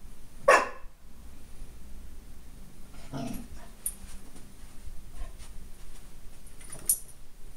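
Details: Shadow, a Golden Retriever puppy, barking at his reflection in a glass door indoors: one sharp bark early, a second muffled bark a few seconds later, then scattered small clicks and thumps.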